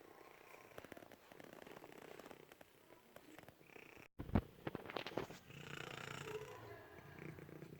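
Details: Purring and snoring female cat living in a German animal shelter: a soft, continuous low rumble with faint pulsing, interrupted by a short sharp knock just after four seconds and some rustling afterward.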